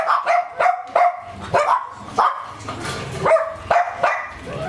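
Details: Working-line German Shepherd kept on raw food gives about nine quick, forceful barks, some opening with a yelping upward edge, spaced around half a second apart with a brief gap in the middle.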